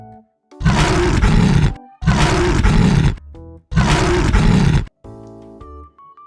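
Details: Leopard: three long, harsh, rasping roars, each lasting just over a second, separated by short pauses, followed by a soft musical tone.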